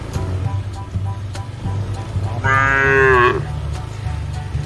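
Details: Mother cow on a modern cattle farm gives a single drawn-out moo lasting under a second, rich in stacked harmonics and ending with a slight upward bend, over a steady low mechanical hum with faint clicks.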